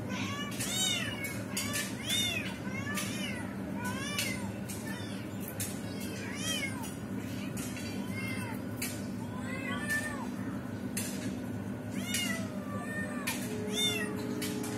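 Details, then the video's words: Domestic cat, a mother trying to rescue her trapped kitten, with high arched meows repeated roughly every second in quick series, some overlapping, over a steady low hum and scattered clicks and knocks. "Mother Cat tries to rescue trapped Kitten"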